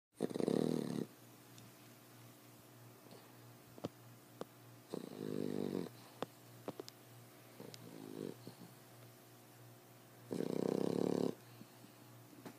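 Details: Ten-week-old female fawn Boxer puppy snoring loudly indoors: three harsh, rasping breaths spaced several seconds apart, with quieter faint snuffles and soft clicks between them.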